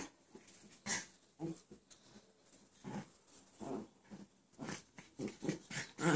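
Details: Dog Sally, playing on 11/3/13 with Chance, who stays lying down so he will not fall on her; soft, scattered growly grunts and short whimpering bursts, loosely spaced, in a small indoor room.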